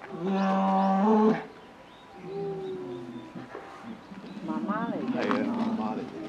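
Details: A female polar bear cub about 11 months old at Maruyama Zoo, Sapporo, Japan, gives loud, droning, harmonic whines that grow louder, begging her 17-year-old mother for milk, on 15 December 2011.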